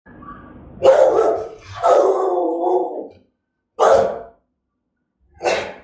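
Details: Rottweiler of German type giving threatening, aggressive barks: a long harsh drawn-out bark, a second extended growling bark, then two short sharp barks spaced over several seconds, with quiet gaps between.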